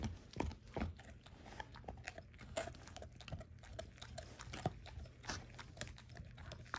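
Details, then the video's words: Crunching bone as a 13-year-old German Shorthaired Pointer named Ava eats a dehydrated turkey wing indoors at breakfast: dense, sharp cracking snaps and wet gnawing come in quick irregular bursts, with low thumps between. "13 Year Old German Shorthair Pointer Eats Whole Dehydrated Turkey Wing For The First Time"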